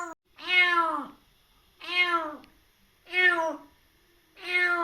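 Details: Rescued kitten a little over three months old, very wary, fostered indoors after its mother died in an accident: four long, harmonic meows, each rising then falling, roughly every 1.3 seconds in a quiet room.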